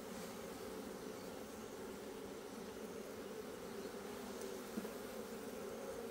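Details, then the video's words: Steady low hum of Asian honey bees in a hive opened on 26 September 2023 while comb is dug out, droning evenly for six seconds with one faint tap. "밥장을 파내고 있는 동양종 꿀벌통"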